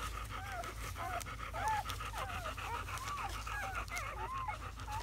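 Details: Newborn German Shepherd puppies, a litter of seven born May 7–8, 2017, squeak almost nonstop, overlapping thin wavering cries that bend up and down, several per second, against a steady low hum.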